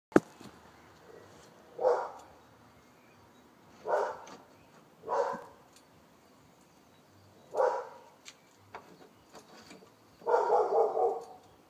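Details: Dog in Wellingborough barking: five gruff, mid-pitched barks at irregular gaps of one to three seconds, the last a longer, rougher run of rapid barks, with soft clicks and light background noise between them.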